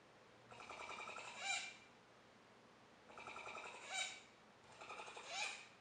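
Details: Capybara calling: three bursts of rapid, buzzy clicking, each swelling over about a second and ending in a brief higher squeak, spaced roughly two and a half seconds apart in a quiet setting.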